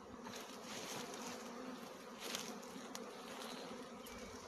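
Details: Swarm of honey bees in flight, choosing a tree to land on: loud, thick, unbroken buzzing that fills the whole range, steady in volume, with scattered sharper ticks.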